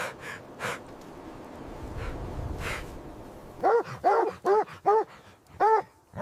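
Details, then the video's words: Puppies playing with their mother dog on fresh snowy ground in winter; after a few faint early yaps, a run of five loud, arched, high-pitched puppy barks or yips comes close together in the second half. "Beautiful puppies playing with mother dog on snowy ground – Dog barking sounds"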